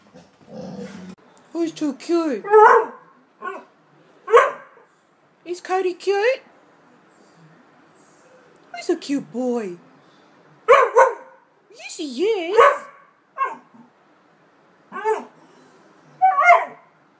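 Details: American Staffordshire Terrier giving a series of drawn-out, wavering whines and yodel-like moans, each rising and falling in pitch, in short bursts separated by pauses, with a steady hum in the background.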